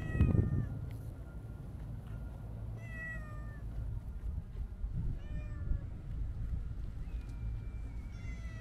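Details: Stray Siamese mix cat meowing repeatedly: short clipped calls at intervals of about two seconds, then a longer drawn-out meow near the end. A low hum of outdoor noise and occasional bumps run underneath.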